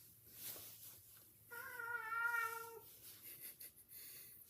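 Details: Domestic cat attacking its owner indoors, giving one long, steady harmonic meow of about a second and a half, held level and then falling away, with faint room noise and brief soft rustles before and after.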